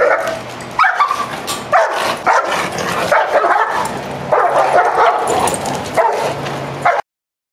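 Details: Dog with aggression issues in Miami giving loud, choppy barks and yelps in uneven clusters over seven seconds, some rising in pitch, with a low steady hum beneath.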